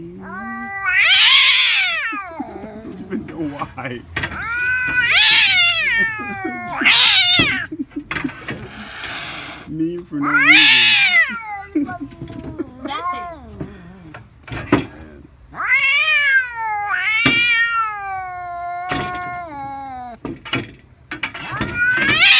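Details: Sixteen-year-old cat Missy, who cannot stand a family member, yowls repeatedly indoors: loud drawn-out meows and caterwauls, bending up and down, about every two to three seconds, with a person's voice now and then.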